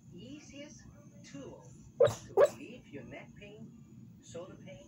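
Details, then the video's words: Staffordshire Bull Terrier bitch woofing while asleep, giving two quick muffled barks close together midway, with faint snuffling sounds before and after in a quiet room. "Staffordshire Bull Terrier barking in her sleep"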